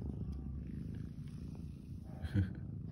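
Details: Cat purring while being massaged and stroked, a soft, steady, low rumble that runs continuously throughout. There is a faint brief rustle near the end.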